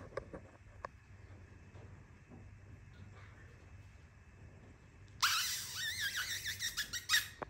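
A Cavalier King Charles Spaniel puppy gives a sudden burst of high, wavering squeaks in a quiet room.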